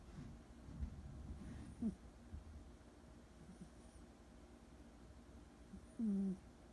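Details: Joey, a two-year-old rescued orange tabby cat, sleeping indoors and snoring: two low, droning hums, one short near the two-second mark and a longer one toward the end, with quiet soft breathing in between.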